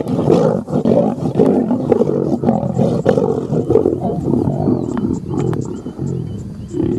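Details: Lions locked in a fight while hyenas retreat, roaring and snarling in rough, throaty bursts that come about every half second over a steady growl, with faint high whistled sweeps toward the end.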